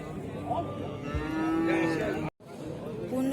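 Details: Bull at a rainy Sunday cattle market in Kuva, Fergana region, Uzbekistan; a low moo swells in the middle of the clip while men talk over it, then a brief gap and more voices.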